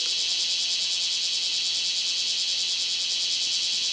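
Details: Cicada recorded on 2 August 2011, giving a loud, unbroken high buzz that holds steady throughout with a faint shimmering throb and no other sounds.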